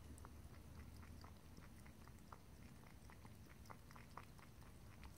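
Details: Pet cat lapping water in a small room, a brisk run of crisp little tongue clicks and slurps, fairly even in rhythm, above a low background drone without speech.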